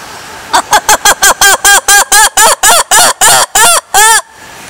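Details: A lemur gives a run of about fourteen nasal, honking calls, each arching in pitch, starting quick and short, then growing longer with slightly wider gaps, over steady background hiss.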